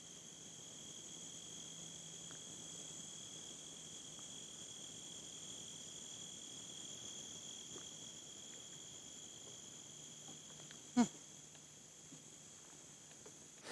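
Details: Insects in an old pasture seeded with pollinator plants on a farm that supports honeybees. Steady, unbroken high-pitched buzzing tones hold throughout, with one sharp click near the end over quiet rural background.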